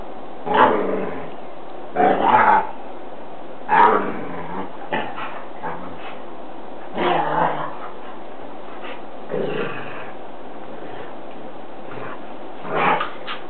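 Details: Dogs play fighting in a living room, giving short howling, growly bursts about half a second long, loud at first and repeated at uneven gaps, fading softer toward the end with quieter murmurs between.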